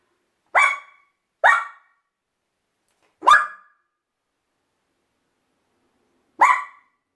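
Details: Puppy that habitually antagonizes the household cat, giving four short sharp barks, two close together, then a pause and two more spaced apart, in a quiet room.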